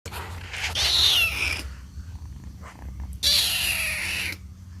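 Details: Kitten calling for its mother: two high, drawn-out meows about two seconds apart, each over a second long, with a faint low hum beneath.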